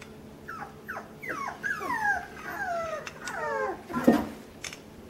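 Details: Several puppies on a puppy cam, introduced to overhead obstacles and things to climb on, whimpering in a steady stream of high, descending whines, each sliding down in pitch, overlapping in quick succession, ending with a sharp louder yelp.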